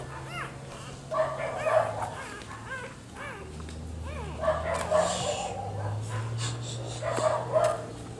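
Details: Newborn Rottweiler puppies nursing from their black mother: thin, high squeaky whimpers in short rising-and-falling bursts, clustered in several bouts, over a low steady hum with people talking nearby.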